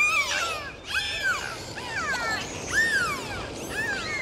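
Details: Dolphins underwater giving a series of clear whistles, each an arching or falling sweep about half a second long, repeated roughly every second with bright harmonics above a constant background hiss.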